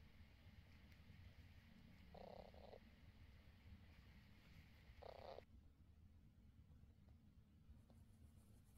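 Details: Mother cat lying with her kittens, purring softly: a steady, low, rumbling drone throughout, with two brief brighter bursts of sound partway through.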